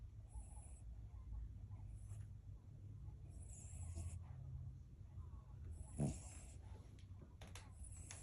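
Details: Sleeping male dog snores while dreaming, maybe chasing someone; low, rough breathing rumbles rise and fall steadily, with one louder, sharper snort after about six seconds and faint hiss above.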